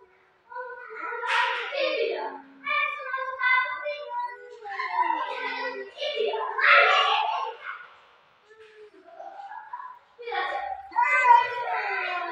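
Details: Two domestic cats fighting at home give drawn-out, wavering yowls and moans in bursts with short pauses. Pitch bends up and down. A near-silent gap comes before shriller, higher wails at the end.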